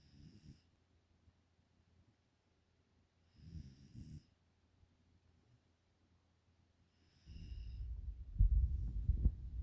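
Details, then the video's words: Asleep, Nala the five-month-old Pungsan puppy in the United States gives short wheezy snores spaced a few seconds apart, each with a faint airy hiss, before a louder rustling, thumping stretch of handling or movement at the end. "코골이 하는 미국 사는 풍산개 강쥐 날라."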